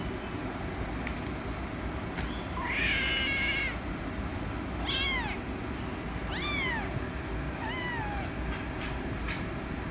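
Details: Rescue kitten meowing for attention: a high squeal near 2.5 seconds, then three clear arched meows at about 5, 6.6 and 8 seconds, each rising then falling, over steady low traffic rumble.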